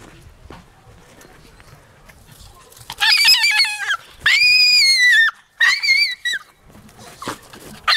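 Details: Jagdterrier named Taka, quiet for the first three seconds, then gives long high whines that bend up and down. The whines come in three drawn-out bursts with a short yelp at the end, against faint background murmur.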